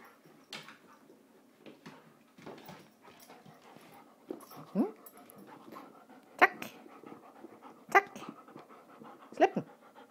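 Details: Female pet dog panting while playing ball with her owner. Soft, irregular breathy panting is broken by a few sharp, squeaky gasps, with faint handling noises.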